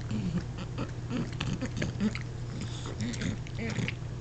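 An English bulldog snorts and grunts in short, low, piggy bursts while a person speaks softly.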